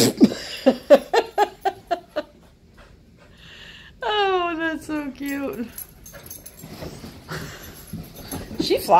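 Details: Husky puppy and Malamute playing with couch zoomies at night indoors: a rapid series of short yips and huffs, then a long, drawn-out, falling, harmonic whine-howl, followed by soft snuffling and a woman's voice.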